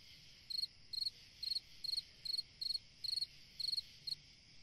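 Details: A cricket on a summer night chirps after a brief silence, nine quick, high, pulsed chirps spaced about half a second apart, with a steady faint insect hum behind.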